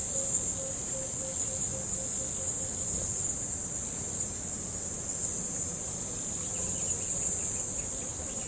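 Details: Crickets by a river on an evening keep up a steady, high, shimmering trill that never lets up, over a soft low rumble of gentle river flow.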